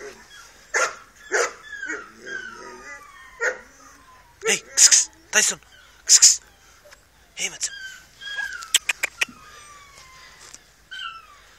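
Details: Two-month-old Dogo Canario puppy: a string of high, thin whines and yelps, many sliding downward, some short sharp squeals, with a man's voice speaking in between.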